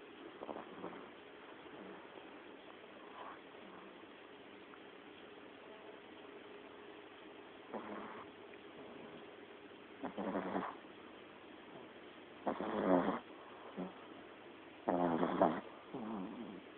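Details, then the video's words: A tiny Lhasa Apso puppy, tired out and asleep, snores loudly in soft, breathy rasps that return every two to three seconds. "Tiny Lhasa Apso puppy snoring LOUDLY :)"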